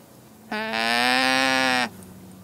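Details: One steady, buzzy, nasal llama call, lasting just over a second at an even pitch, over quiet background hiss.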